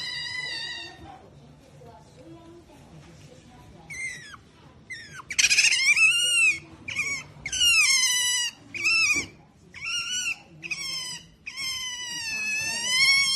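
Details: Pet female otter making a series of high, harmonic squealing calls, short bent chirps building into longer whining squeals repeated every second or so, after a quiet start with faint squeaks and low indoor hum.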